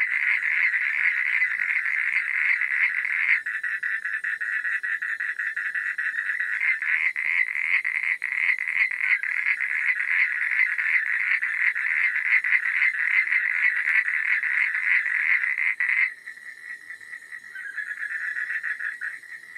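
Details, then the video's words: Night chorus of frogs, a steady stream of fast, raspy pulsed croaks layered over each other, holding loud for sixteen seconds before dropping to a quieter, thinner chorus. "Suara Katak di Malam Hari"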